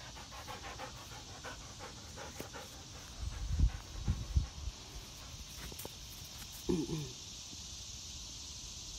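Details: Three-year-old female Doberman Pinscher panting while playing catch off leash. Quick, breathy puffs repeat steadily over the first seconds. Then come a few dull thumps and a brief voiced whine, over a constant high hiss.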